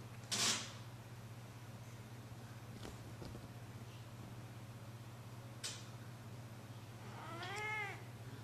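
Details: Jack, a pet cat, gives a soft meow that stretches into a yawn near the end, with a rising then falling arched tone. Before it come a sharp bump, a few faint knocks and a steady low hum.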